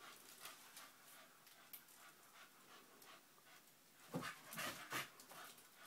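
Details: Staffordshire bull terrier puppy Honey, nine months old, toying with sellotape: faint rapid panting puffs, then near the end a few louder clipped breathy bursts and brief whiny tones over low background hiss.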